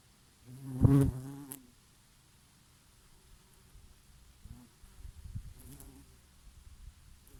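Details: Bees foraging on oregano flowers on a summer day in a light breeze. One loud, rich buzz passes close for about a second, followed by fainter scattered hums and soft rustling.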